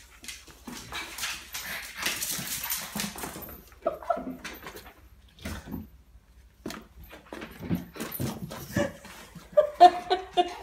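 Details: An 11-week-old female Boston Terrier puppy gives gruff, throaty growls, high squeaky yips and short whines amid scuffling. She is roughhousing with a Rottweiler on a rural farm in France before running off.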